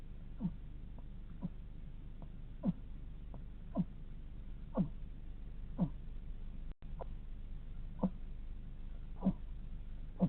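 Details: Hedgehog snoring while asleep, a series of soft falling squeaks about once a second with slightly uneven spacing, one brief gap in the sound midway, low hum underneath.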